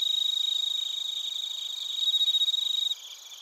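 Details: Crickets, including bell crickets, at Narita in Chiba Prefecture, Japan, captured with a TASCAM Portacapture X8. A loud, fast, pulsing chirp throbs for about three seconds over a background insect chorus, then cuts off, leaving the quieter shrill hum.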